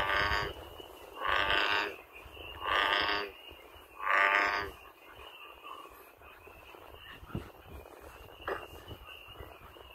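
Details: Out in nature an American bullfrog sounds four evenly spaced, booming harmonic calls about a second apart, then falls quiet, leaving a thin high drone and a few soft distant clicks.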